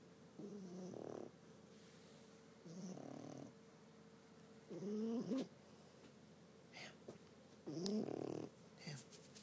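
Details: Sleeping French Bulldog named Ham snores in uneven breaths, some soft and airy, others buzzy and whistling with a wavering nasal tone, spaced irregularly over several seconds indoors.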